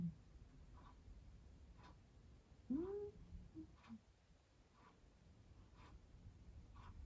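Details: A sleeping cat talks in its sleep indoors: one short, soft, upward-sweeping chirp-like murmur near the middle, with faint regular low breathing sounds and room hush around it.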